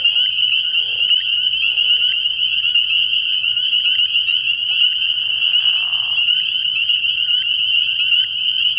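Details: A frog pond at night in early spring, alive with spring peepers: a constant shrill, high-pitched peeping from a large group, joined by a lower breathy rasping stretch lasting about a second near the six-second mark.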